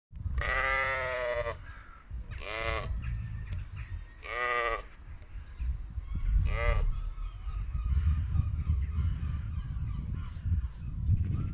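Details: Sheep in the mountains bleat in several loud, wavering bursts, each about a second long, over low rumbling background noise.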